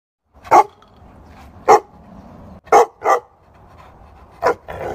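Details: Bulldog barking: five short, sharp barks spaced unevenly, two close together near the middle, over a low steady background hum.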